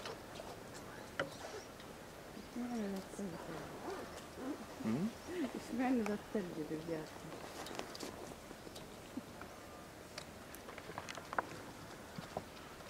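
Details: Lila, a two-year-old female polar bear at Maruyama Zoo in Sapporo, Hokkaido, Japan, begs her 22-year-old mother Lara to nurse on 19 January 2017, in a temporary cage enclosure. She gives a run of wavering, low moaning calls in the middle stretch, with scattered clatter around.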